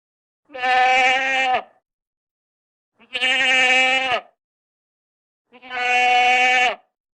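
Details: Goat repeating three even, steady bleats, each lasting about a second and sounding nasal and slightly falling at the end, spaced roughly two and a half seconds apart in otherwise quiet surroundings.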